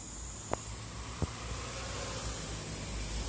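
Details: Cicada on a cherry tree giving a steady, unbroken high-pitched buzz throughout, with two sharp clicks early on and a low background rumble.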